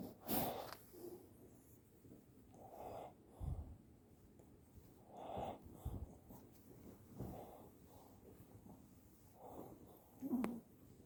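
A Shih Tzu snores in soft, wheezy snorts that come roughly every two to three seconds.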